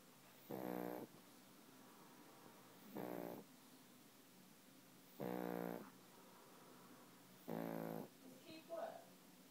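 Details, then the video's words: Sleeping pug snoring: four loud rasping, buzzy snores about every two and a half seconds, each roughly half a second long, with quiet pauses between and a faint extra snuffle at the end. "Pug snores"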